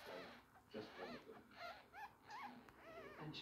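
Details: Two-week-old ferret kits, seven males and three females, taken out for a thorough inspection, give thin arching squeaks that rise and fall, several in quick succession, while people talk close by throughout.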